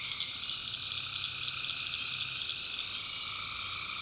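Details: Night chorus of tree frogs in North Carolina backwoods swamp: a constant wall of high, buzzing trills with overlapping pulsed calls, no pauses, many frogs calling together.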